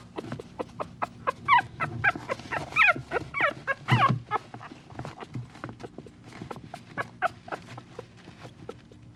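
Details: A puppy gives scattered, thin, high whimpers mixed with clicking, scraping and thumping handling noises. A louder broadband knock comes near the middle.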